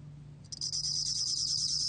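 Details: Bell cricket (곰방울벌레) recording from the National Institute of Biological Resources, 2020: after brief quiet, a high, bright, continuous pulsed trill begins abruptly and holds steady, with a faint low hum underneath.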